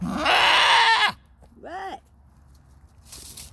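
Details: Goat on a farm with a newborn kid, giving a loud, harsh, strained bleat of about one second that drops in pitch at the end, followed by a short wavering cry and a brief noisy burst.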